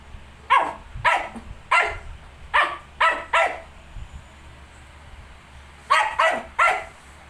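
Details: Shih Tzu with 19-day-old puppies; short sharp barks come in a quick run of six, pause, then three more close together, over a steady low hum.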